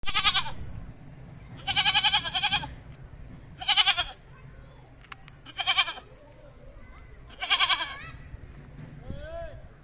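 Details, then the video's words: Goat bleating repeatedly, loud harsh wavering bleats of about a second each, five in ten seconds, with fainter voices and background murmur between them. "Goat Sounds & Goat Videos ~ The Sound A Goat Makes"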